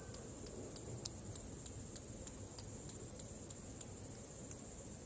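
Short, high-pitched ticking clicks come from a bat, spaced evenly about three to a second and fading slightly toward the end. A soft low rumble lies beneath them throughout.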